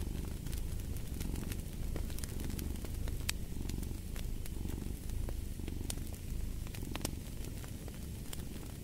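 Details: Strong, rumbling purr of a cat, steady and throbbing with slow breath-timed swells, with crackling fireplace pops sounding throughout.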